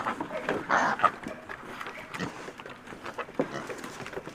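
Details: Piglets at breakfast feeding, grunting in short, low, irregular bursts that overlap one another, with a few louder squeaky notes near the start.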